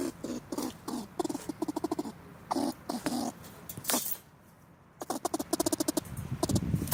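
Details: Squirrel caught in a trap baited with French fries, held for under three hours and released afterwards, gives angry, rapid bursts of harsh chattering barks and squeaks.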